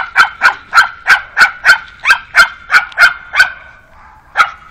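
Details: A steady string of a dozen crisp, high-pitched barks from Alfa the pug, spaced roughly a third of a second apart, as she meets a new canine friend. A short pause follows, then one last yap.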